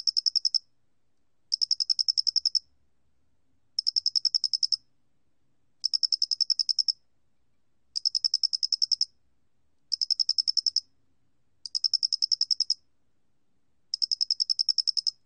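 A flat-faced cricket sings short, high, metallic trills made of rapid pulses, each lasting about a second. The bursts come at a steady pace, one every two seconds or so, against a quiet background.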